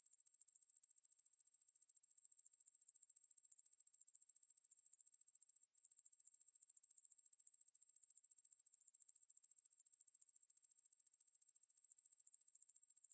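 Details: Ruspolia lineosa, a conehead katydid, from a 2020 National Institute of Biological Resources recording: a steady, very high-pitched buzzing drone made of rapid, even pulses, running nearly unbroken with only a brief dip midway, and no other sounds.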